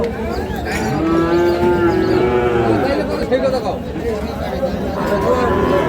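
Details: Sahiwal bull calves at the Ambari cattle market in Parbatipur, Dinajpur, Bangladesh, Monday 9 February 2026; a drawn-out, even-pitched lowing lasting nearly two seconds amid a busy crowd of traders calling prices.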